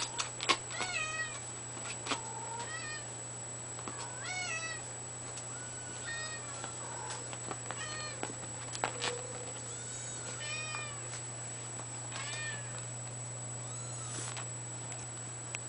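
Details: Exotic kitten, seven weeks old, mewing again and again in short, high, arched squeaks every second or two, with a constant low hum and a thin high tone behind.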